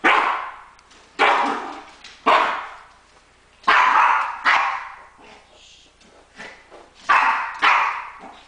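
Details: A female house dog that doesn't want her owner to shower gives loud, harsh barks in irregular bursts, some in quick pairs, with quieter whines and snorts in between.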